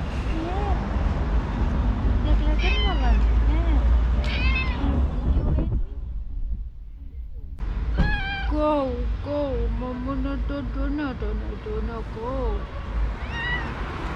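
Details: Stray striped cat in Istanbul meowing and trilling for food and affection: repeated rising and falling meows with bright harmonics, a short pause midway, then a run of quick wavering trills, with a person's voice and low rumbling background.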